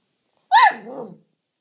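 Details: Jack Russell Terrier reacting to a toy helicopter with a single short, high yelping bark that drops into a brief low grumble.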